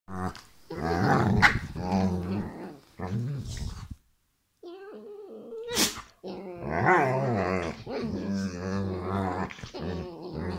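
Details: Saluki and Whippet play fighting indoors: harsh, rolling growls and snarls in bursts, a short silent gap, a quieter whine, then more continuous rough growling.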